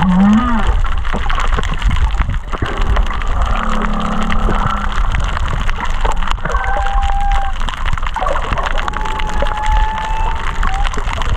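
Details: Humpback whale song heard underwater at Kaanapali Bay, with whales estimated under 500 m away: a low rising whoop, a deep moan, then long steady higher-pitched tones, over crackling from fish eating coral.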